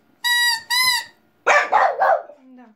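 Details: Female French Bulldog vocalizing along to a pipe: two clear pipe notes, a pause, then three quick, rough bark-howls in a row, ending in a faint low whine.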